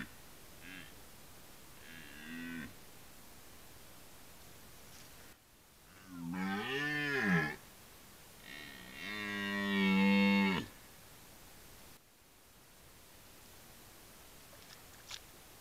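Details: Rutting red deer: faint distant roars early on, followed by two loud, deep, guttural bellows. The first rises and falls; the second is long and sustained. The end is quiet.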